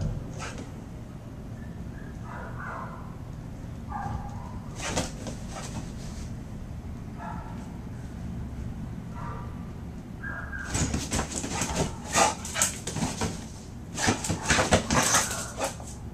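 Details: Little Foot, a Terrier and Pit Bull mix dog awaiting adoption, recently finished raising her puppies; soft short whining sounds early on, then bursts of loud, sharp barks repeated rapidly toward the end, with a person's voice and indoor background noise.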